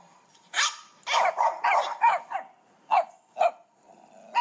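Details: Puppy barks in a quick uneven series of high, sharp yaps, some clustered and some spaced nearly half a second apart, with faint background hiss between calls.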